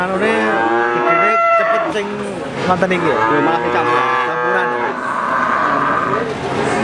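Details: Crossbred Simmental calf mooing: overlapping, arching moos that swell and dip in pitch, delivered back to back with hardly a gap.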